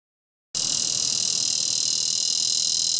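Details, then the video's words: Dog-day cicadas, Neotibicen dorsatus, calling in Topeka, Kansas: after a brief silence a loud, steady, high buzzing drone starts abruptly and holds without a break. "Cicada (Neotibicen dorsatus) Calling - Topeka, KS"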